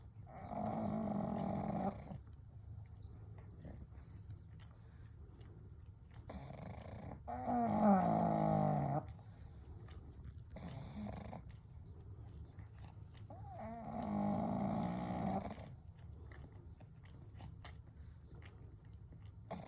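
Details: Three pet pugs named Kou, Gen and Shun sleeping together at night, gentle snoring and breathing: long harmonic snore bursts of about two seconds separated by quieter breathing, with low room hum underneath.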